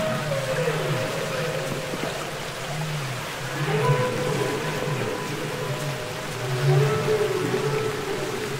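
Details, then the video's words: Humpback whales singing underwater, from the Capitol Records ST-620 recording: long tonal moans repeat in slow phrases, a deep hum layered with mid-pitched wavering notes and gliding sweeps, some rising, over a steady hiss of water. "Listen to Songs Of The Humpback Whale"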